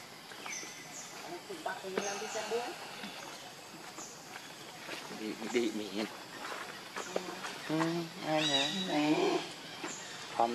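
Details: Very hungry baby monkey begging for milk, wailing in wavering, harmonic cries that rise and fall, growing louder and more insistent toward the end, with scattered shorter squeaks and a busy outdoor background.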